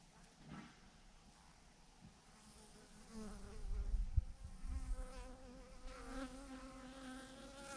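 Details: Honey bee swarm of thousands clumped on a branch, its droning hum emerging after a quiet start, the wavering buzz growing fuller from about three seconds on, mixed with low wind rumble and occasional bumps.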